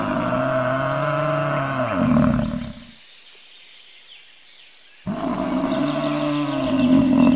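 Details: Bison giving deep, rough roaring bellows with strong low harmonics: one long bellow rising in force, then a silent gap, then another bellow swelling toward the end.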